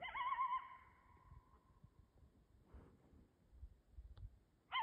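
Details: In Canada, a coyote gives a high, wavering howl that fades away, then starts another.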